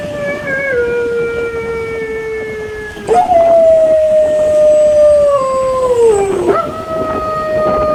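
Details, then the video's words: A pet dog howls in reaction to sounds made to get its attention: long tonal howls with harmonics that slide slowly downward, one breaking off near six seconds before a fresh howl starts at a slightly higher pitch. "Sounds to get your dogs attention"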